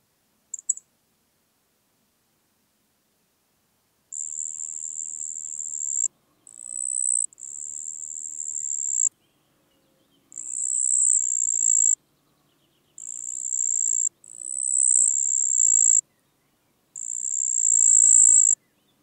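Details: Marsh cricket song recorded in Puntigam, Austria, on 4 June 2022: high, even trills lasting one to two seconds, repeated with short silent gaps between them, on a clean, quiet background.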